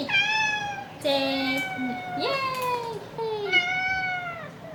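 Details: Pet cat meowing repeatedly in a weekly roundup of its calls: long, clear, slightly wavering meows, one held flat before a sharp downward slide, and a faint human voice behind them.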